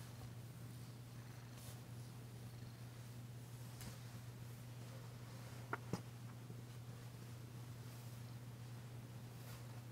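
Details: Domestic cat, a recently arrived female still tentative, purring while being massaged indoors on February 9, 2022; a steady low rumbling purr runs throughout, with two brief sharp clicks near the middle.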